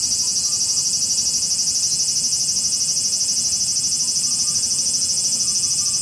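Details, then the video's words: Cicadas in Japan buzzing together, a piercing high drone that wavers in quick regular pulses, steady and unbroken, with only faint low background rumble. "cicada sound Japan,cicada buzzing sound,cicada noise,cicada swarm,cicada scream"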